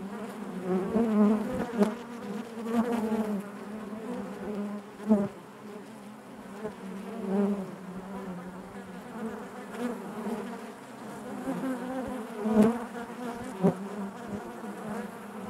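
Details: Many honey bees buzzing in their hive, a sustained low hum layered with higher overtones, repeated swells every few seconds and scattered clicks as bees move near.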